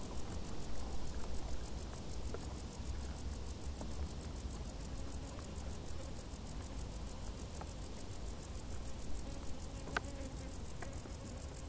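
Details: Hot-summer cricket chorus from tall grass: a continuous high pulsing trill, roughly six beats a second, above a soft low background hum with occasional small clicks.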